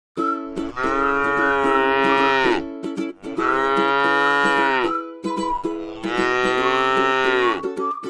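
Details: Tame cattle resting in a beautiful rice field: three long, drawn-out harmonic moos, each about two seconds, with short pauses between, over light plucked-string music.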